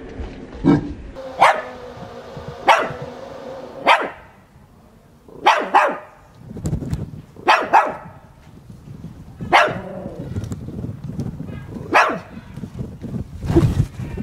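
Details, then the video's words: Chihuahua, a male pet said to dislike the sound of lawnmowers, barking enthusiastically after hiding from the camera; sharp single barks at irregular intervals of one to two seconds, with broadband rustling and handling noise between them. "Zoe de komische chihuahua"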